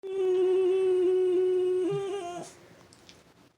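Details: Frenchton, a French Bulldog and Boston Terrier cross, howling indoors at the weekly tornado siren it hates: one long, steady, tonal howl held for over two seconds with a slight waver, then breaking off abruptly into a quiet room.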